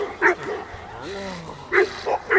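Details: Four-year-old Presa Canario Kiki barks once, then a man's voice speaks briefly, then the dog barks again three times in quick succession.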